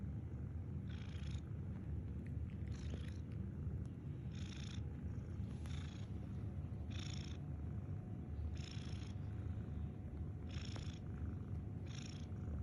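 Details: Pet cat snoring; raspy, hissing breaths repeat about every two seconds over a steady low rumbling background.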